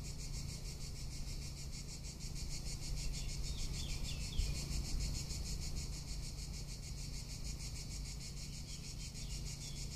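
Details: Cicadas in Tuscany in summer, a continuous piercing buzz with quick regular pulsing; brief twittering bird notes appear around the middle over low background noise.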